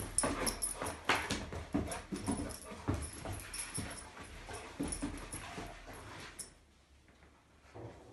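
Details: Female Rhodesian Ridgeback playing with a toy indoors, giving soft whimpering and yipping sounds in quick irregular bursts for about six seconds, then near quiet.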